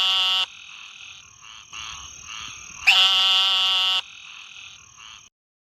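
Frogs calling at night with high, nasal, steady tones that start and stop abruptly.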